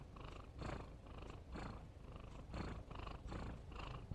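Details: Sleeping pet cat snores in quick hoarse rasps, about one breath every half to three-quarters of a second, each a dense low rumble with a gritty edge.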